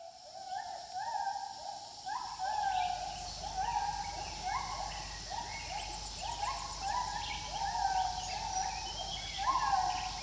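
Gibbons calling with rising, hooting whoops that overlap and repeat, several voices at once.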